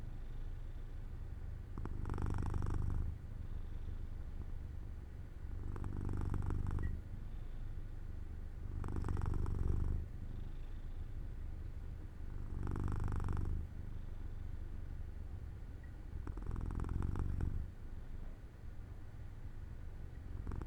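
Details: Sleepy purring from Jojo the cat lying in sunlight by an open window: a steady low rumble with five louder, breathy surges roughly every four to five seconds, matching slow relaxed breathing.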